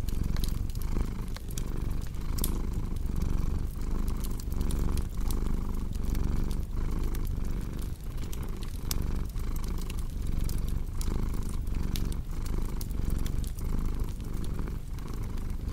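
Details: Cat purring at length, a steady vibrating drone with regular breath-break gaps under a second apart, set against a crackling fire with frequent bright pops.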